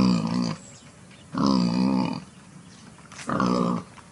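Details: Wild boar in a clearing near the forest gives deep, growling grunts in three drawn-out bursts, each under a second long.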